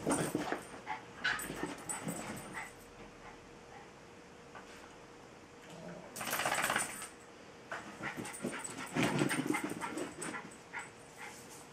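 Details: Jack Russell terrier named Tinkerbell, a female, pestering Bilbo the Welsh Terrier for play and attention; sharp barks and yips come in short bursts with quiet whines between, loudest around the middle and near the end.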